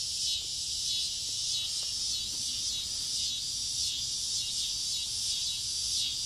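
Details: Noisy cicadas landing in front-yard trees late on a summer evening before dusk, producing a dense continuous high buzzing wall of sound with gentle swells in loudness.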